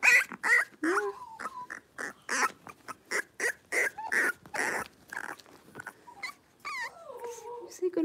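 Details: Five young blenheim Cavalier King Charles Spaniel puppies, born at New Year, play in an indoor puppy pen; rapid, shrill yapping barks repeat irregularly, with rising and falling whines near the end and a human voice in the background.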